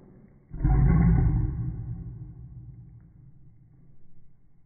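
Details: Siberian Husky. A single Siberian Husky bark, slowed so it stretches into a low, booming roar lasting over a second. It starts abruptly, then fades away into quiet room noise.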